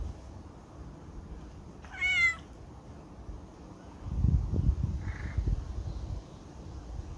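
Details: Domestic cat waiting in line gives one short harmonic meow about two seconds in, followed by a low rumbling, thumping background noise and a faint, brief higher call near the five-second mark.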